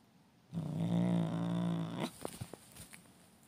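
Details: Pet domestic cat named Limoş growling indoors while its owner sits beside it and tells it not to be angry: a steady low harmonic growl lasting about one and a half seconds, followed by soft rustling and handling sounds.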